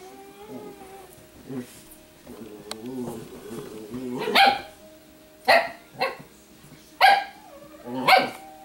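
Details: Italian Greyhound female grumbling at another dog because she dislikes being bothered while dressed in dog clothes; low wavering growl-like vocalizing in the first four seconds, then four sharp harmonic yaps spaced about a second apart.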